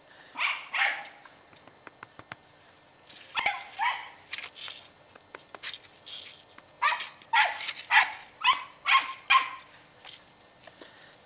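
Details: Katie, a 10-year-old female Scottish Terrier on squirrel patrol in November 2008, barks in excited bursts: a few sharp barks early on, then a rapid, uneven cluster of yapping barks toward the end.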